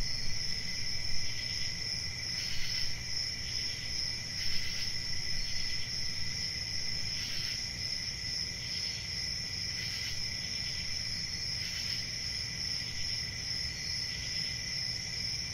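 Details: Cricket chorus sounding as an unbroken high trill, punctuated by brighter chirping bursts repeated roughly every two to three seconds, with faint low background noise.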